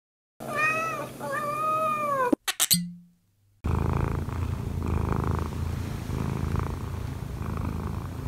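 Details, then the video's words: Kkobugi, an odd-eyed Munchkin cat aged one year four months, kneading on its owner to wake her. A short tonal intro and a sharp burst come first, then a steady low rumbling purr with soft pulsing fills the rest indoors. "엄마 위에서 꾹꾹이 골골이 하는 꼬부기"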